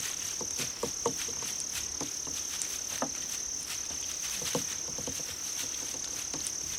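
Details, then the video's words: Crickets in an insect-sound track for cats: a continuous shrill high trill holds steady, while frequent soft clicks and patters are scattered through the background. "풀벌레 울음소리"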